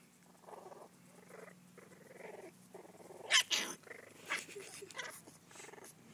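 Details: Two young corgi puppy brothers, one a runt, wrestle, giving soft, repeated rumbling growls of about half a second each; midway, a sudden sharp yip and a few scuffling snorts break in.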